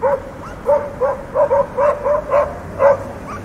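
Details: Barking dogs in a quick series of roughly ten sharp, mid-pitched barks in under four seconds, the last ones loudest, over a faint steady background hum.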